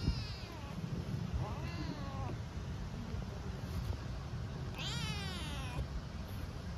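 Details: Homeless hungry kitten in Istanbul meowing timidly for food and affection; three clear meows, the first two short and rising then falling, the last longer and stronger, over steady low street rumble.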